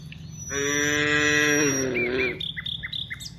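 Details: Cow among dozens walking from the rice fields to the village, giving one loud, sustained moo of nearly two seconds that sags in pitch at the end, followed by quick bird chirps over a low rumble.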